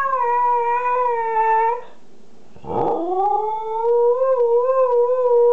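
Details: Two-year-old Siberian Husky named Kanu howls indoors: a steady, level tone held for nearly two seconds, a brief break with a rough sound, then a second long howl that starts low, rises and wavers slightly.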